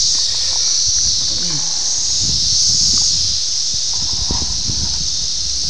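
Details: Chorus of 17-year periodical cicadas, Brood X, recorded June 18, 1987 at Ayersville, Ohio with a VHS camera; an unbroken shrill hiss-like drone fills the air while a man speaks quietly and faint low thumps sound beneath.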